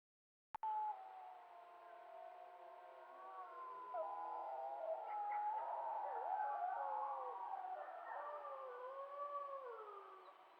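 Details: Several wild wolves howling together in the Yukon, caught on a trail camera: overlapping wavering howls at mid pitch, rising and falling, with sliding tones layered into a dense chorus that swells and fades.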